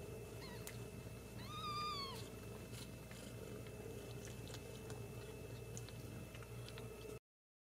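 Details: Two Ragdoll kittens raised indoors at a cattery in central Kansas; one gives a short high meow, then a clear rising-falling meow with stacked harmonics near two seconds, over steady room hum.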